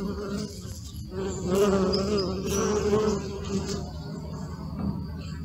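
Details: Close-range bee buzzing, filmed with a Sony Alpha 6000, 55-210mm lens and close-up filter: a rich, wavering hum that swells loudly in the middle as a bee flies near, then fades back to a lower drone.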